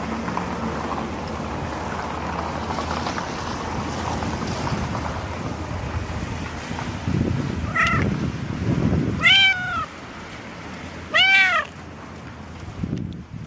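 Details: Pregnant cat after morning rain, giving three clear meows around eight, nine-and-a-half and eleven-and-a-half seconds, each a rising-then-falling harmonic wail, over a steady background of wind-like noise and outdoor rumble.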